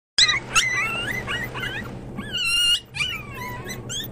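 Pomeranian puppies whimper and yip in shrill, squeaky voices, each cry bending upward or falling away. Several short cries overlap, with a longer wavering whine near the end.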